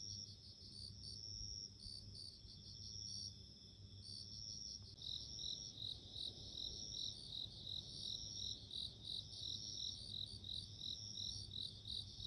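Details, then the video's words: Bell cricket chirping in sparse ringing bursts at first; midway the song turns into a rapid, regular series of bright bell-like pulses over a continuous high tone, low hum behind. "Sounds of insects】自然の音【鈴虫】"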